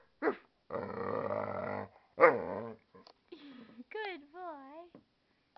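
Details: American Staffordshire Terrier and pit bull mix barking back to its owner indoors: a long groaning growl-like howl, then short yowls and a run of rising-falling wavering whines, with a person's voice close by.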